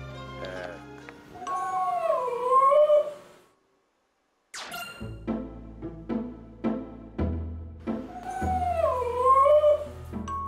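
A dog gives long, wavering howls that bend up and down in pitch, with music playing underneath.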